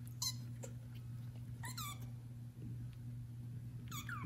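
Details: Domestic kitten, one of four born to mother cat Judy, meowing while calling its mother: three short, high, thin squeaky mews with falling pitch, spaced well apart, over a steady low indoor hum.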